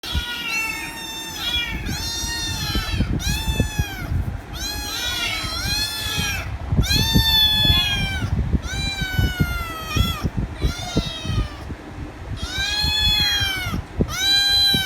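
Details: A kitten demanding head rubs, meowing loudly and without pause: a rapid series of harmonic, arching meows about every half second to a second, with thumping low-pitched handling or background noise underneath.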